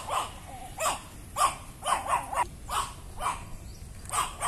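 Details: A Chihuahua barking on seeing the household's people gives a steady string of about ten sharp, yappy barks, some in quick pairs, against light outdoor background noise.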